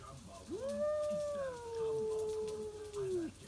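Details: Midnight yowl from a stray cat defending its backyard territory, a single long smooth moan nearly three seconds long that rises quickly, holds steady, dips slightly and ends abruptly.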